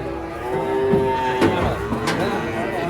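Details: A cow in a herd coming down from a truck lets out a short, level moo lasting about a second, surrounded by men's chatter, a few sharp knocks and general outdoor bustle.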